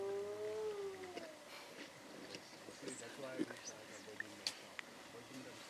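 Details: A spotted hyena gives a drawn-out, hollow long-range contact whoop that swells then slides downward, possibly calling for backup after sensing vultures near lions on a zebra kill in late afternoon, Timbavati; a man speaks after.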